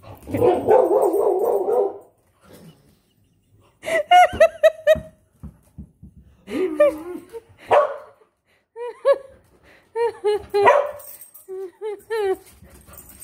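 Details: Molly, a female dog holding a tennis ball in her mouth, gives a string of muffled, tonal, yelping barks, singly and in quick clusters, with pauses between, while a person chats to her in between.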